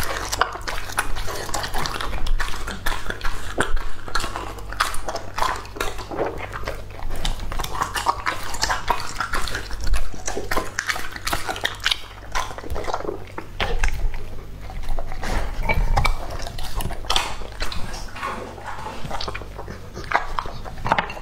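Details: Raw-food meal of Lucky, a male English Labrador aged two and a half, in a small indoor room: steady stream of crunching bites and moist mastication, loud irregular chomps packed closely together for the whole stretch.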